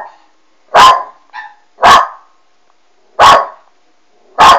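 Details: A Westie puppy called Alma barks at a Doberman on TV. Four loud, harsh barks are separated by silences of about a second. A brief faint yip comes after the first bark.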